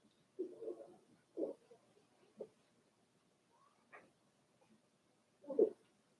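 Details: Four-week-old Cavalier King Charles Spaniel puppies from Daisy's litter in their indoor puppy pen, giving several short, tonal whimpers and whines, a few rising higher, spaced irregularly across a quiet room with faint rustling.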